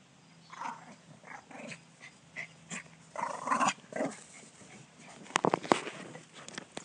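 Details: Dogs named Rufus and Roman vocalizing: a run of short, uneven growly bursts and grunts through the first four seconds, then a sharper cluster of barks and yips near the end, with quiet room noise between.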